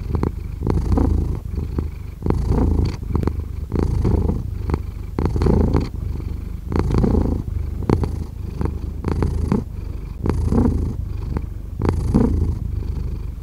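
A domestic cat purrs steadily, a low rumbling vibration that swells and fades with each breath.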